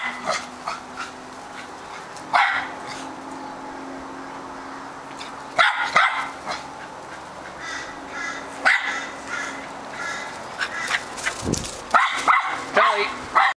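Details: Charlie the Australian Terrier, noted for a barking problem, gives scattered barks separated by long pauses, then a flurry of quicker, choppier yips and whimper-like sounds toward the end, with rustling and handling noise.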